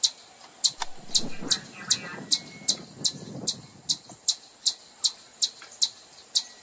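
A chipmunk gives sharp, high chips, repeated about every half second.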